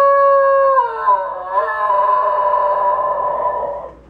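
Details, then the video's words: Pet Basenji dog, a female, singing along as her owner plays flute; long wavering howl with a rich harmonic stack, held steady then sliding down and back up, fading at the end. "Best Basenji yodel singing"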